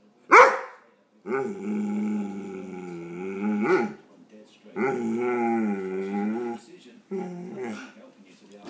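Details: Dog reacting to a hated air pump indoors: a sharp yelp, then long drawn-out moaning howls, each sustained about two seconds with a wavering pitch, ending in a shorter groan.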